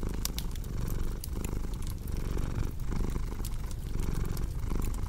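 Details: A cat purrs in a soft, low drone broken into breath-length pulses, with scattered crackling and snapping of a fire throughout.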